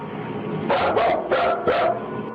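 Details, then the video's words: Full-grown dog indoors barking nervously while backing toward the door, refusing to go past a line in the room; four sharp, harsh barks in quick succession over about a second and a half, with music playing underneath. ">> Listen, when your full-grown dog is barking nervously and actually backing towards the door to get away, it's time to get the heck out of that room yourself."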